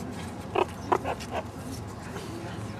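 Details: One of three young, one-year-old meerkats foraging for bugs and hidden mealworm treats in an overgrown zoo enclosure gives a few short, squeaky chirps over a soft, steady background hum.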